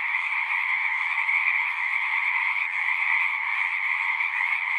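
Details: Chorus of singing frogs in a natural setting, a dense, unbroken wall of overlapping trills in two steady bands, one mid-pitched and one higher, holding an even loudness throughout with no other sounds standing out.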